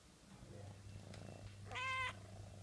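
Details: Kitten playing with a broom gives one short, even-pitched mew lasting under half a second, clear and harmonic-rich, after soft scratching and rustling, with a low steady hum running underneath.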